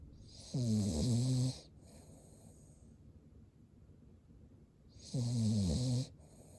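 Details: A Cavalier King Charles Spaniel sleeps with white eyes showing and snores twice, each snore about a second long and some four and a half seconds apart. The throaty vibrating rumble carries a breathy rasp and ends in a small follow-up snort.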